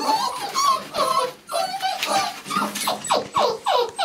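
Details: Several six-week-old Labrador Retriever puppies let out of the house at feeding time, giving overlapping high whimpers and short yips, some falling in pitch, repeated in quick bursts with brief pauses.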